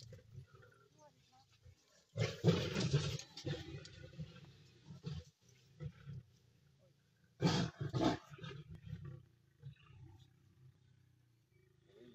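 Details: Lionesses in the Masai Mara sharing a meal near a river as a large Nile crocodile approaches to challenge them for it; two harsh, broad growling bursts, one long and one short, with quieter low rumbling between.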